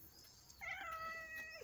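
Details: A domestic cat at play gives a single drawn-out meow, a steady harmonic tone holding level for about a second before tapering off, with faint background hiss.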